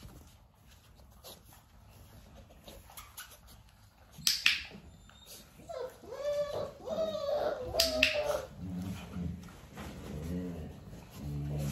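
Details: Nearly six-week-old puppies indoors with their mother Arya during clicker training: a run of high, arching whimpers and squeals, rising and falling, clusters after sharp snapping clicks and soft thumps, with low rumbling handling noise underneath.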